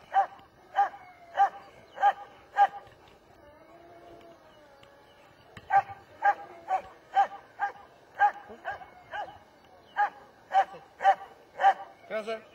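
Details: German Shepherd barking in steady bursts of sharp woofs about every half second, a pause in the middle, then a second run of evenly spaced barks.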